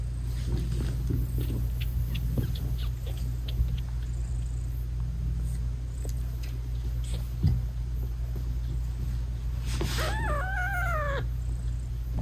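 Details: British Shorthair mother cat nursing her newborn kittens, whose eyes are still closed; a steady low purring hum runs throughout, and near the end she gives a few short, wavering meows that rise and fall in quick succession.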